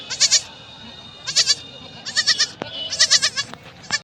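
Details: Baby goats held at a market awaiting sale, calling in a rapid series of quavering, high bleats, with overlapping kids answering one another in quick bursts and light market bustle underneath.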